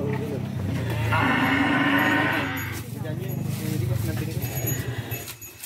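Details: Cattle on a farm during herding and feeding, with Balinese cows and buffaloes present; a long, low, droning moo swells for about two seconds amid loud rumbling background noise and some voices.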